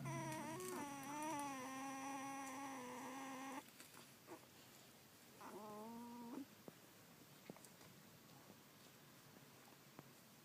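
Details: Collie puppies, one and fourteen days old, filmed 1 June 2013: a long, rising-and-falling nasal whine lasting several seconds, then a shorter second whine after a pause, over quiet indoor background.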